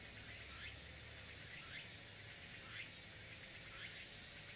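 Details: Early-autumn afternoon chorus at Furuta Magarikawa, Nishinoomote on Tanegashima, 6 September 2022: distant tsukutsuku-boshi cicada giving soft upward-sliding phrases repeated roughly each second, set against a constant shrill buzzing background.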